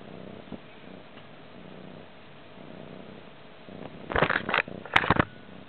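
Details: Stray cat in a Manilla crash pad, 20 February 2011, giving a soft low purr in gentle cycles, later drowned by loud rustling, handling noises and sharp clicks.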